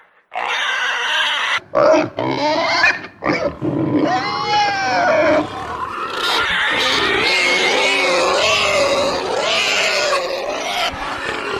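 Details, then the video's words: Pig squealing and snorting: a run of short choppy shrieks over the first four seconds, then a sustained piercing wavering scream that rises and falls in pitch without pause to the end. "Pig Squeal/Snort (Extreme Animal Sounds)"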